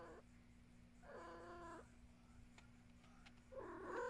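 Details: Indoor house cat named Luna gives a short meow, then a wavering, slightly rough meow a second later, and a third begins at the end. A low hum runs beneath, with a few faint clicks.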